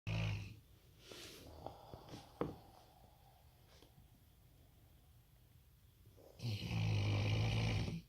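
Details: A Rottweiler sleeping peacefully snores in low, rumbling breaths loud enough to make the floor vibrate, with a long quiet pause between two heavy snores.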